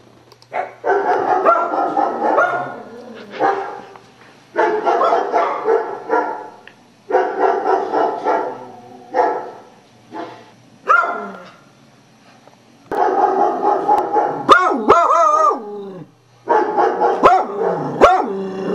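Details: Beagle sounding off at sound effects from a computer: repeated harsh barks and bays in irregular groups about every two seconds, with a few higher yelps near the end.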